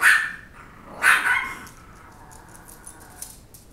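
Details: Two dogs, Destiny and Dillon, playing together at bedtime; two loud, sharp barks about one second apart, the second slightly drawn out, followed by quiet rustling and soft clicking movement sounds.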